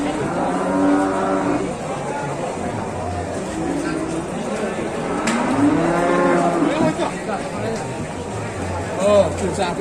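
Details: Calf lowing in a cattle shed: drawn-out harmonic moos, some rising then falling, repeated every couple of seconds amid other cattle and faint human voices.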